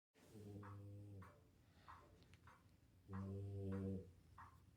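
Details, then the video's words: Female French Bulldog asleep indoors, worn out after a day of playing with a Doberman, paws wiggling as she snores; two long, low, rumbling snores of about a second each, with softer breathing between them. "French Bulldog Snores So Hard That Paws Wiggle"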